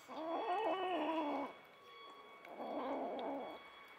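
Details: Stray mother cat caring for seven kittens, five of her own and two adopted orphans: two drawn-out, wavering meows, the first about one and a half seconds long, the second a second later, over a faint steady hum.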